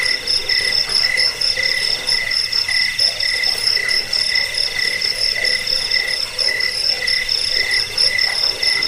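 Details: Chorus of crickets used against rats, for falling asleep and for teaching birds to sing: a constant bright trill with rapid repeated chirps on top and soft lower pulses below.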